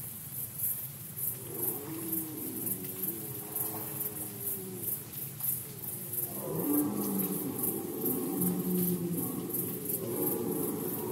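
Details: Red deer during the rut season in Poland, 2020: two drawn-out, harmonic bellowing roars, the first moderate and wavering, the second louder and longer, lasting several seconds over a steady background hiss.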